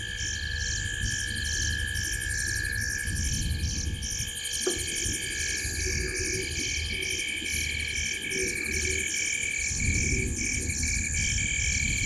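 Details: Frogs in a tree at the corner of Gowrie dam, Djuma Game Reserve, Sabi Sand Wildtuin, South Africa, at 19:33 on 05/07/2023. A dense, unbroken chorus of rapid pulsed, ticking calls layered at several pitches over a steady low rumble.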